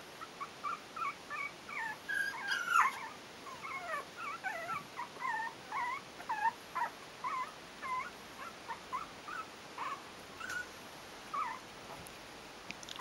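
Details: Yorkshire terrier puppies, four weeks old, give a steady series of short, high whines and squeaks. Each rises or falls in pitch, and they repeat roughly every half second to one second over a low background hiss.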